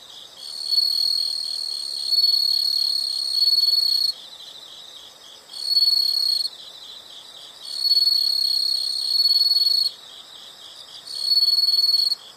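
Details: Insects heard as nature sound: high, steady trilled buzzing in long bursts of about two seconds separated by short pauses, with a softer rapid pulsing chorus continuing underneath throughout.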